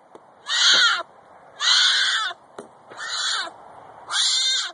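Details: A Florida black bear cub gives a distress call, four loud, harsh, wailing squalls of about half a second each, crying out for its mother's protection when it feels threatened.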